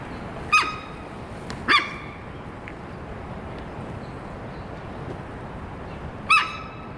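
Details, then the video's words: Warning calls from Amanda, a wary 15-year-old female Hokkaido sika deer at Sapporo Maruyama Zoo, Japan; three abrupt high squeaky whistles, two close together then one after a four-second pause, with soft background rumble. "エゾシカが突然警戒！周囲に響いた謎の鳴き声〜The Hokkaido deer is making a warning noise"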